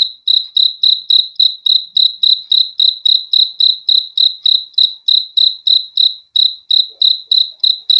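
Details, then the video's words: High-pitched cricket chirping, pulsed notes repeated about three times per second in an even, unbroken rhythm with faint overtones above, against a quiet background. "BEAUTIFUL SOUND OF CRICKETS"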